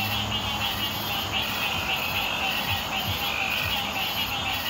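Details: Green tree frogs on Hilton Head Island, June 2018, call in a thick, continuous chorus, quick nasal notes overlapping into an unbroken pulsing throb, with a faint high insect hiss running steadily above.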